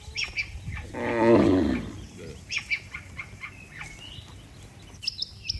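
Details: Among dozens of cattle lined up on a road, one gives a single low, hoarse moo about a second long, described as calling the herd to return home; scattered bird chirps and tweets fill the background.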